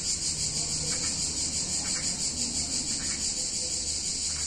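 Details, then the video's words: Cicadas in warm summer weather in an Italian town give a loud, even, high-pitched sizzle with rapid soft pulsations, steady from start to end, and a faint low background murmur. "Cicadas In Warm Summer Day In Italian Town"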